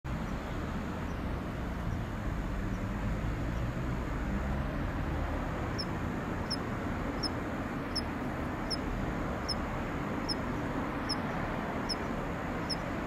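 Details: Kanetataki cricket (Ornebius kanetataki) in late autumn as temperatures fall, its song weakening near the season's end: short high metallic ticks repeated about every 0.7 seconds, clearest in the second half, over a steady low rumble of traffic.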